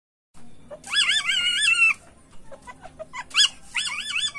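A male Asian palm civet in heat calls for a mate with high, warbling mews that bend up and down. The calls come in bursts of about a second, with a quiet pause between them.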